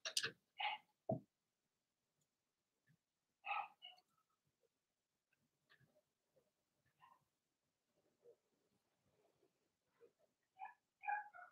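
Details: Blenheim Cavalier King Charles Spaniel puppies from a litter of six give short, high-pitched yipping barks in scattered bursts.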